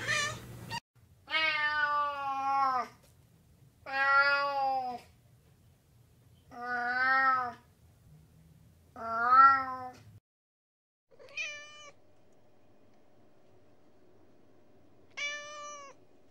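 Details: Cat producing long drawn-out meows, four wavering harmonic calls of about one to one and a half seconds each, then two shorter thinner meows after a pause, with faint low hum beneath.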